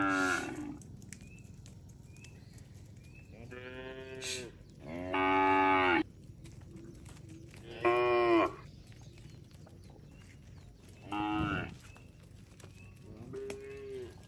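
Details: A herd of cattle roaming along a road, lowing repeatedly: several harmonic moos of about a second each, some rising then falling, spaced a few seconds apart, with faint bird chirps and a steady background hum.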